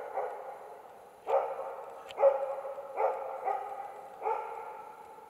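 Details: Karelian Bear Dog barking at two young adult bears during an autumn bear hunt in Finland; harsh, drawn-out barks roughly every second, each ringing with a long echoing tail, over a quiet background.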